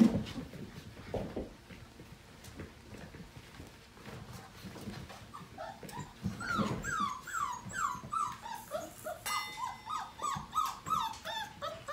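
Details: Portuguese Water Dog puppies just over five weeks old at morning playtime; after quiet scuffling, a run of rapid high whining yelps starts near six seconds and continues in a quick, uneven series to the end.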